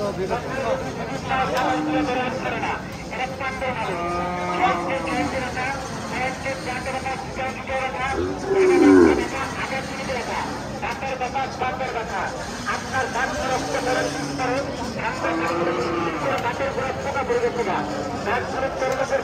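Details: Bulls at the Hazratpur cattle market (gorur haat) in Bangladesh; a single loud, low moo swells near the middle, set against steady crowd chatter, voices and passing vehicle noise.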